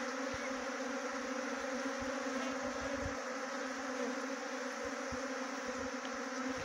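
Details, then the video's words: Steady monotone droning of a honey bee swarm being trapped near Chakrata, Dehradun, Uttarakhand, a low hum with a clear overtone under constant hiss and occasional faint taps. "Best Honey Bee Swarm Trapping"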